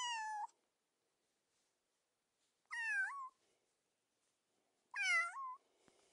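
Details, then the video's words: Three meows from a cat over six seconds, each dipping then rising upward at the end, about two and a half seconds apart, with faint background rustle. "Cat meowing sound"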